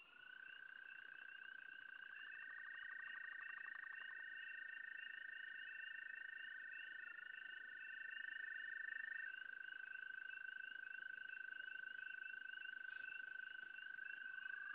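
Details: Frogs calling at a site, a steady high whistled tone held for long stretches with a second tone sliding up and down beside it, and a fainter rapid pulsing higher up repeating several times a second.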